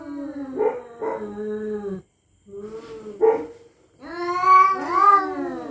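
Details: Cats at night threatening each other in a territorial clash: short, sharp, rising meows and low moaning notes, then a louder, rising, strained wail.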